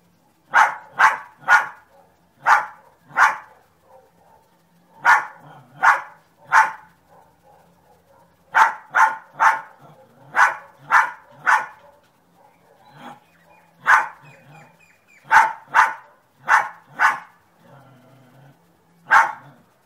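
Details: A dog barks persistently, rapid strings of three to five sharp barks separated by short pauses, with faint low noise in the gaps.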